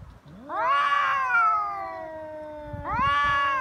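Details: Feral cat threat call during a Cat Day fight in Japan, with the rival refusing to retreat. A swelling nasal yowl climbs, then slowly falls over two seconds, followed by a second rising yowl with a faint lower voice beneath.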